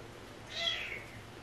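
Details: A stray cat from a rescued cat family gives a single short, high-pitched meow that rises and then falls, heard against a quiet indoor hum.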